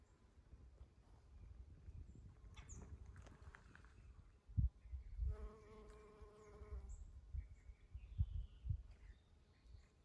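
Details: Honey bee buzzing in spring ambience with Eastern Redbuds; a bee drones past for under two seconds in the middle, a smooth humming tone, amid soft thumps, low rumble and faint bird chirps.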